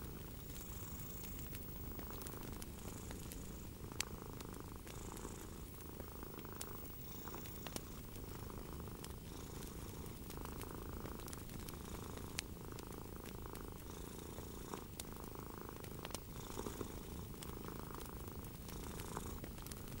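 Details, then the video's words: Purring cat by a crackling fire, a relaxing evening scene; the low, even rumble holds steady while brief pops and hissing crackles of the fire recur throughout. "the Gentle Purring of a Cat and a Crackling Fire"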